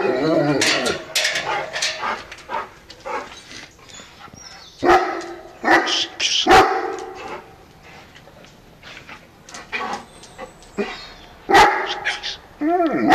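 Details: A female harlequin Great Dane barks while guarding. Loud, deep barks come in irregular bursts, some spaced several seconds apart, with quieter gaps between them.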